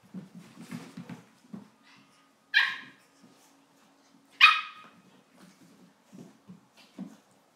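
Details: Two dogs, a pug and a cavalier, playing indoors; two sharp, high barks stand out about two seconds apart, with soft low grunts, snuffles and scuffling between them.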